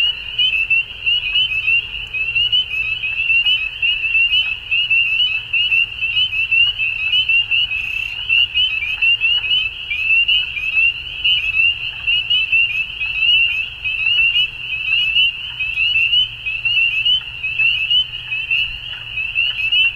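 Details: Many frogs at dusk keep up an unbroken high, rattling trill, with bursts of louder calls coming roughly every two seconds and a faint deep rumble underneath.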